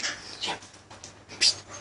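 A Thai Bangkaew dog gives a few short, sharp, high-pitched yappy barks.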